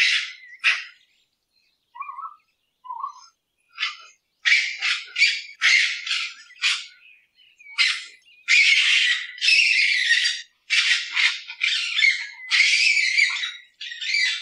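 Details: Raccoon calling at night, its sound likened to twirling cotton candy: rapid bursts of harsh, chittering, raspy notes in uneven clusters, with a few brief softer squeaks early on, then growing denser and almost continuous toward the end.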